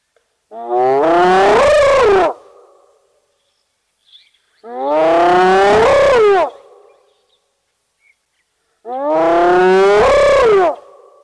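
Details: Spotted hyena (Crocuta crocuta) gives three long, rising whoops, each about two seconds, roughly four seconds apart, in the fenceless Sabi Sands private reserve next to Kruger National Park, South Africa.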